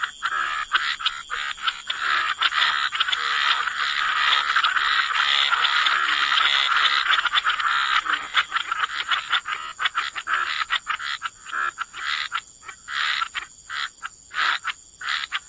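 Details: Frogs croaking in wetland ambiance, a thick overlapping chorus building in the middle and thinning toward the end into distinct short raspy croaks, steady faint high whine beneath.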